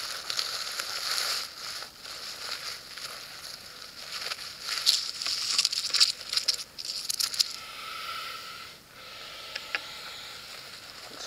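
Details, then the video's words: Wild rattlesnake found in a vegetable garden in the Mayacamas Mountains, Napa County, USA, on a very hot summer day, rattling and hissing at the person filming as a warning; a dry, buzzy, high rattle in bursts, fading after about eight seconds. "Rattlesnake Rattle Sound & Hiss"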